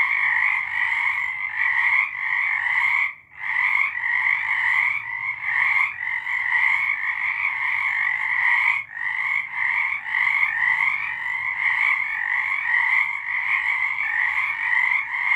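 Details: Many frogs calling together on a March night in 2023, their rapid trills blending into a loud steady chorus that pauses briefly near three and nine seconds before resuming.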